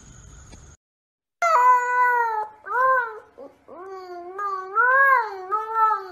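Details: Siberian Husky, a pet dog, giving long wavering tonal howls after a brief quiet gap, several drawn-out phrases that rise and fall in pitch with rich harmonics, like a talking moan.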